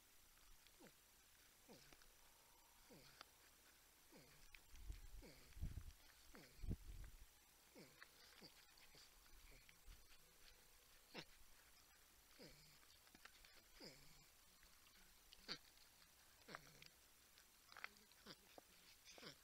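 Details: Humming, grunting porcupines on a wildlife camera in San Angelo, Texas, with a 10-point buck and a raccoon nearby; soft descending whine-like notes come roughly once a second, with a few low thumps midway.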